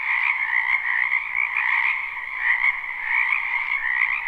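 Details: Many frogs croaking in a wetland behind a house in spring, recorded live: a dense, continuous trilling chorus with bright overlapping notes and a lower band beneath, swelling and easing without a break.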